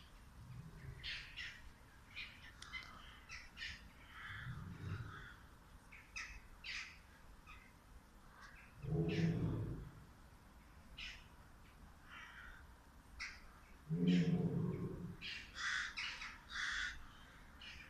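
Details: A tiger pacing nervously in its enclosure at Târgoviște zoo, Romania, gives deep, rumbling grunts every few seconds while birds chirp in the background.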